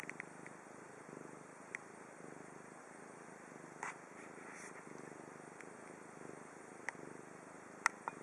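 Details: Chibi, a pet cat in Japan, purring softly in gentle low swells, mostly steady, with scattered sharp clicks and brief rustling noises throughout.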